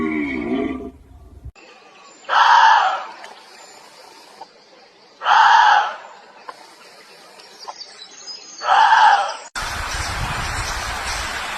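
A deer gives harsh, screaming calls, each under a second long, repeated about every three seconds.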